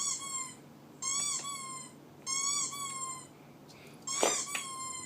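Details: A pet dog squeaking: four clear, high, tonal bursts roughly one second apart, each slightly arched in pitch, the last one ending with a brief rougher sound.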